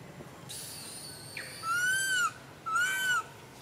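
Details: A baby monkey cries nonstop while its mother ignores it: two drawn-out, whistled, arching wails, each about half a second long with a rich band of overtones. A quieter buzzy note comes first, over a faint background hiss.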